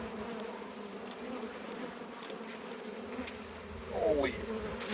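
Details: Honey bees humming around a hive during a harvest: a steady, droning buzz holds low and even throughout, with a brief louder swell near the end as bees move close.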